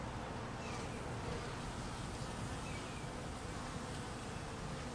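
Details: Steady humming buzz from a mass of hungry honey bees taking food in cold weather, low and continuous, with a couple of faint high chirps overhead.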